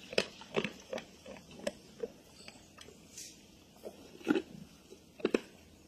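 A wild boar eating: sharp crunching bites and wet chewing, with a few short low grunts.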